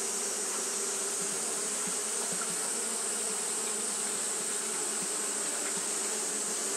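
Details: Constant buzzing from Japanese honey bees engaged in fanning on a hot day, a busy overlapping hum of many wings with small flickering accents over a steady high hiss.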